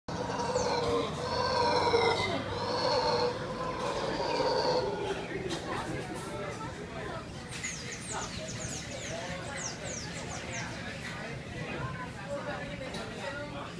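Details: Mantled howler monkeys in Costa Rica give deep, rough, drawn-out roaring howls for the first five seconds, then fade into softer grunting calls, while thin chirping bird notes sound in the background.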